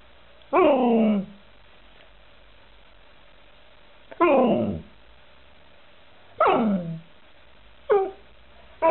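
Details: Alaskan Malamute letting out loud, wavering cries that slide steeply from high to low, each lasting under a second. They are spaced a few seconds apart, with quiet between them.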